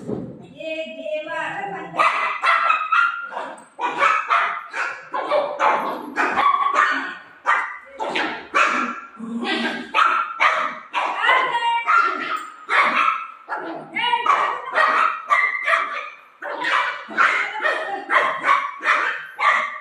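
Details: A pet golden retriever at play with its owner barks over and over in quick, clipped bursts, sometimes close together, for the whole stretch; a human voice mixes in now and then.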